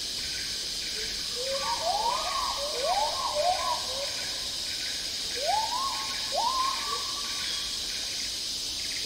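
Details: Agile Gibbons calling in tropical rainforest in Malaysia: a run of quick rising whoops, some overlapping, in two bursts with a pause between them, set against a steady pulsing insect chorus and high rainforest hum.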